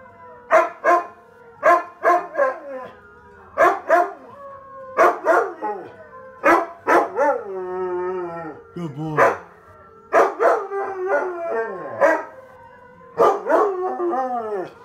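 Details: Onyx, a husky taking a try-not-to-howl challenge, gives bursts of sharp barks in quick clusters, then a wavering, falling howl in the middle before barking resumes in short volleys.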